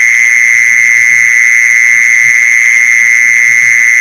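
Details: Steady, unvarying buzz of a mole cricket, sounded to attract mole crickets, running without breaks at a single pitch with a higher ringing overtone; quiet low thuds beneath.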